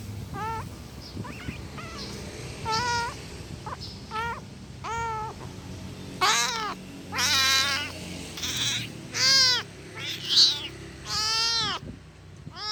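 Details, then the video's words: An angry kitten gives a rapid string of around a dozen meows. They are rising-then-falling and strongly harmonic. Several are loud, strained and long, interspersed with shorter, softer cries, against a faint low rumble. "Efek suara Anak kucing Marah"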